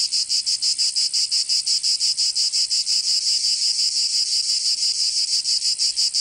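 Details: Summer cicada chorus from Provence in the south of France: a steady high-pitched rasping drone that throbs regularly, roughly three pulses per second, unbroken throughout, with nothing else heard.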